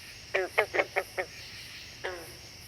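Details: Green frog (Lithobates clamitans) gives a quick run of five twangy, banjo-like notes, then one drawn-out note, described as an unusual variant of the standard call.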